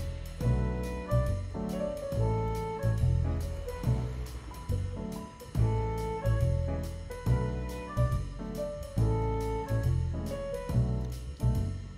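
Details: Jazzy background music with piano and brass notes plays throughout, with no animal sounds heard.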